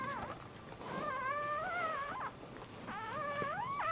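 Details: Dachshund puppy at birth, first of the litter, giving long, thin, wavering whines that climb and dip, a brief pause midway, then a rising squeal, over soft room noise.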